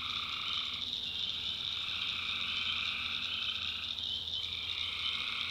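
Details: Tree frogs calling at night in a swamp in the backwoods of North Carolina: a dense, unbroken chorus of high trilling, with a lower band of calls dropping out near the one-second mark and returning after four seconds.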